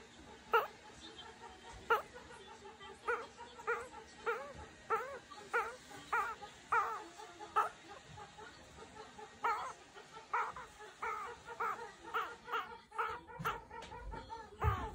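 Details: A meerkat just woken up, yawning, gives short, whiny, nasal chirps in quick succession, roughly one each second; finding: meerkat.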